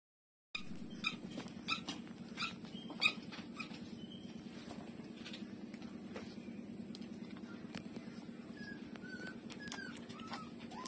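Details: Street-dog puppies nursing from their mother, with faint, brief high squeaks and soft clicks over a steady low hum in a quiet indoor space.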